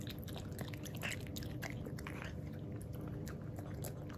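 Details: Jiro, a black-and-tan male Miniature Pinscher born 24 August 2019, tasting unsweetened 100% milk yogurt for the first time indoors; soft wet licking and smacking sounds repeat steadily, low and close, with a brief murmur of a voice early on.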